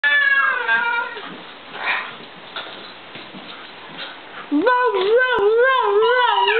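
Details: Louie, a mutt mix of Italian greyhound and miniature pinscher, 'sings' indoors while talking to his owners: an opening run of falling harmonic notes, then loud wavering yodel-like howls rising and dipping in pitch, with some background talk.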